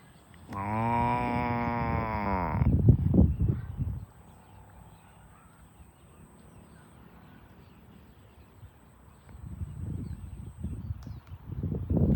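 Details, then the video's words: Farm cows being herded to the barn: one drawn-out, low moo lasting about two seconds, rich in harmonics. Heavy trampling hooves and shuffling follow, then a quiet stretch before more footstep noise returns. "Herding Farm Cows to the Barn - Funny Moo Sounds"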